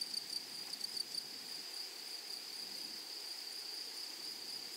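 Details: Grasshoppers in a flowery meadow give a sustained high whine; a few soft clicks at the start, then the steady tone continues alone.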